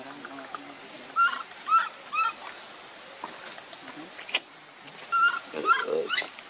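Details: Hungry baby monkey named Leo begging its mother for milk: two bursts of thin arched whining cries, three then two in quick succession, over soft rustling and faint background noise.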